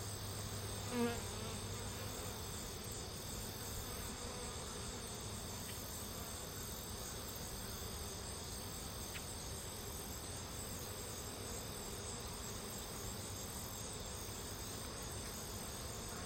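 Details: Unrelated worker honey bees swarm in a big cluster on a branch, drawn to a caged Carniolan queen's pheromone; continuous even droning buzz with a single soft tap near the start.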